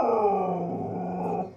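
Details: Siberian husky singing a low, even, drawn-out moan with a slightly growly texture, holding steady before fading away at the end.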